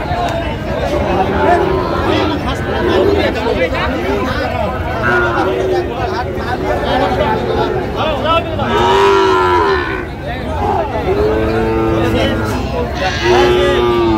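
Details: Sahiwal bull at a crowded cattle market in Fulbari, 27 June 2025; several short, tonal moos come in the second half, partly buried under constant crowd talk and shouted prices.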